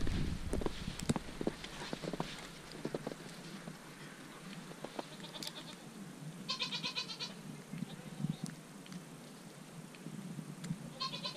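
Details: Dairy goats out in March snow give two clear, wavering bleats, one midway and one at the end, against constant crunching and clicking sounds and a low background hum.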